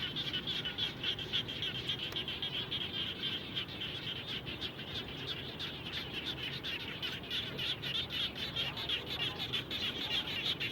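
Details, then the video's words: Chorus of frogs near a house after rainfall, many short bright clicking calls repeated rapidly, roughly three per second, irregularly overlapping, with a constant low background rumble. "Natural Sound of Frogs After Raining"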